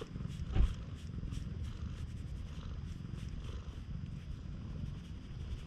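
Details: Stray cat that looks like a raccoon dog, very affectionate at a campsite after rain, purring as a deep, even rumble throughout, with faint dripping or rustling sounds above it.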